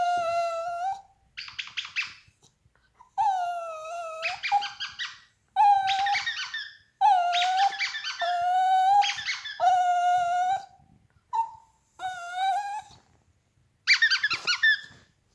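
A Yorkshire terrier gives long, high, tonal whines broken by short, sharp yips in uneven bursts.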